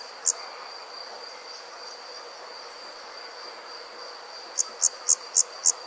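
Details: Cricket at night: one lone high chirp, a quiet gap of about four seconds filled only by a thin steady whine, then five quick, evenly spaced high chirps.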